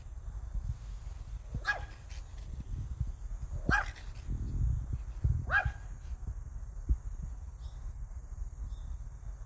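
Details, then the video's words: Three evenly spaced yips from the Pomeranian Hiku, roughly two seconds apart, each short and bright with a slight downward slide; low rumbling background noise and a steady faint high tone throughout. "댕댕이 히쿠 짖어짖어"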